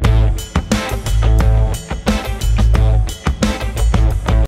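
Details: Strummed guitar music with a driving drum beat plays throughout, and no animal voices can be heard.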